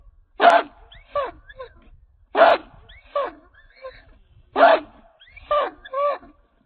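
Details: Chained American Pit Bull Terrier, a 66-pound Redboy Jocko dog, repeats a pattern every two seconds: one loud harsh bark followed by two or three short, higher yelping notes.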